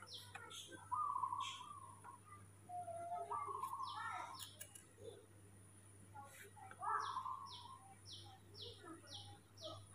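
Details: Morning whimpers from baby monkey Mobi, who refuses to walk and wants holding: clear wavering whistled squeals rising and dipping, with a woman's voice nearby and rapid high chirping in the background.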